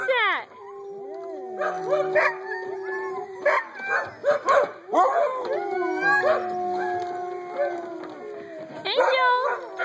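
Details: A group of eight-week-old puppies howls in long, steady, tonal notes with sliding whines over them, a person's voice occasionally breaking in.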